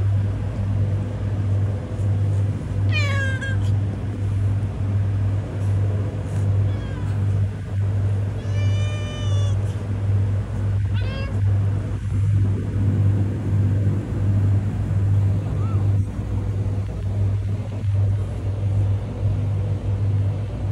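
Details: Homeless cat on a road, giving a few harmonic rising-falling meows around three, nine and eleven seconds, set against a steady low engine-like hum and faint clicks.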